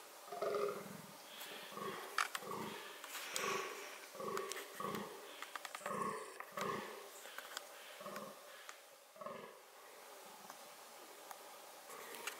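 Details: Fallow deer (Dama dama) in reproductive behaviour: a quieter run of short, hoarse, low calls repeated about every half second to second, fading out toward the end, with scattered sharp clicks and crackles.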